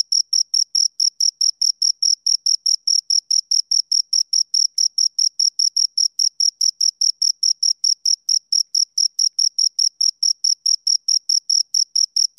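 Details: Two crickets keep up a sharp, high-pitched chirping, rapid even pulses repeated continuously, with no other animals, voices or noise heard.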